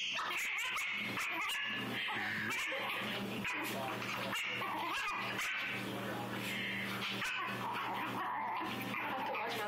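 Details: A female Shih Tzu growls steadily, mixed with yips and whimpers, angry at being brushed.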